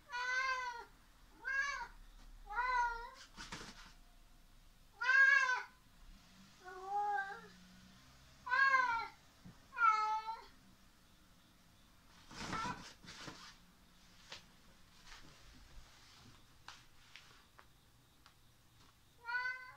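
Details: Chatty house cat at play with a clasp inside a jungle-gym tunnel, recorded 19 September 2019: around ten bright, harmonic meows, each arching up and down, come every couple of seconds, with a burst of clattering toy noise near the end.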